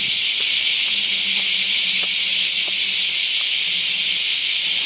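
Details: Bear cicadas chorusing in summer by camphor trees near a shrine gate at Daitokuji Park, Nagasaki, Japan: a continuous high, hissing wall of sound, a faint low hum underneath.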